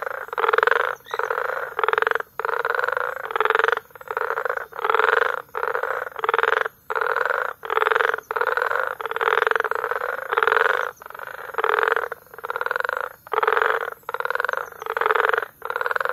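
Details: Frog chorus recorded in May at Bagamoyo, Tanzania: dense pulsed croaking in bursts of roughly half a second to a second, separated by short gaps, forming a steady rhythmic concert.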